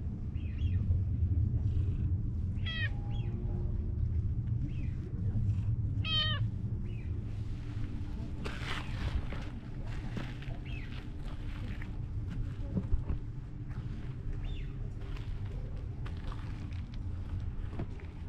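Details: Park cat, one of the stray cats cared for by volunteers, leading the way to a cherry tree for blossom viewing; two short bursts of brief, falling meows near three and six seconds, over a steady low outdoor rumble with faint speech.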